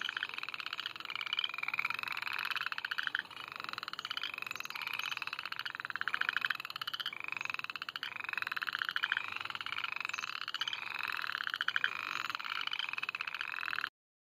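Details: A spring chorus of frogs at Reedy Creek State Park, North Carolina, gives dense, overlapping high chirps that repeat without pause; frog.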